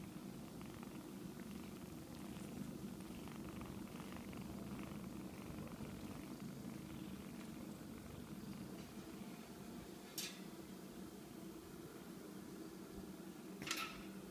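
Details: Four-week-old kittens, now walking and playing indoors, with a steady, soft, low rumbling purr running unbroken throughout, and two brief sharp clicks near the end.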